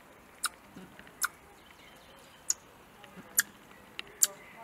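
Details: A hand-reared young Eurasian red squirrel, 49 days into rearing, gives sharp, clicking alarm chucks about once a second, upset at seeing a cat in the garden in front of her release enclosure.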